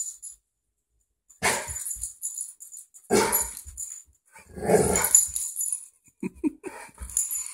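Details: Butler, a pet dog, barks at a dog on television: three loud, harsh broadband bursts about a second and a half apart, with a high hiss from the TV set between them.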